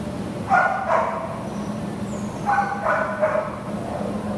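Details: American Pit Bull Terrier up for adoption, recorded 6/11/2015: two short bursts of high, sharp double barks about two seconds apart over a steady low hum.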